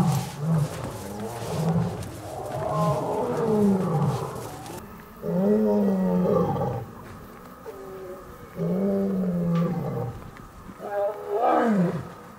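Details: A lion roars at dawn at the Taigan lion park on a cold morning just before autumn. It gives a series of deep, moaning roars that fall in pitch, several over about twelve seconds, ending in shorter grunts.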